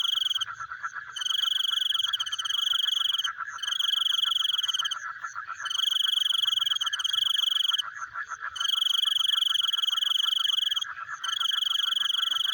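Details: Frogs heard in the night give a steady, fast-pulsing chorus. Bright, ringing high trills, like insects, run in bursts of about two seconds with brief pauses between.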